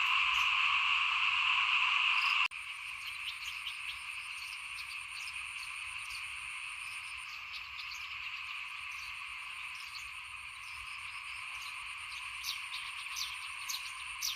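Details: A loud chorus of frogs outside a house at rice sowing in 2021 cuts abruptly after two seconds to a quieter, more distant continuous trilling, dotted with sharp higher chirps.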